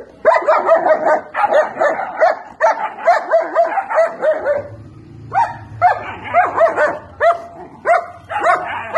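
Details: Several 70-day-old German Shepherd puppies yipping and barking in quick overlapping bursts, high bright yelps that often slur downward, coming in clustered runs with short pauses and a low hum underneath.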